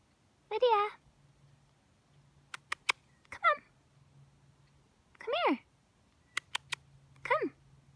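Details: Small cat crying and meowing, filmed at Mount Shasta: four short harmonic meows, some rising then falling, spaced about two seconds apart, with faint clicks between them and a low steady hum underneath.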